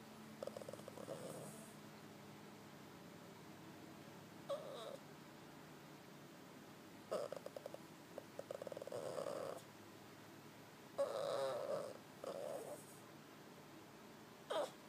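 A Shih Tzu makes short, rough grumbling and snorting bursts, spaced by quiet pauses, to wake its owner.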